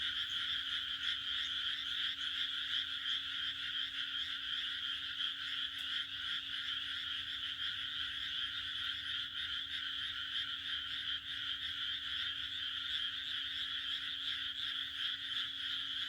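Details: Frogs croaking on a June night in the Japanese countryside: a dense, unbroken chorus of many high, trilling voices blends into a steady shimmering wall of sound over a faint low hum.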